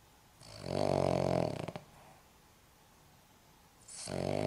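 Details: Snoring from a 14.5-year-old Cavalier King Charles Spaniel: a drawn-out rattling snore fading in stutters, a quiet gap of two seconds, then the next rough inhalation snore beginning.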